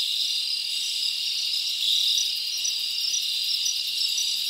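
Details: Crickets in a forest on a summer night give a thick, even, high-pitched chorus of rapid trills, with a faint rhythmic pulsing in the highest tones and a brief swell near the middle.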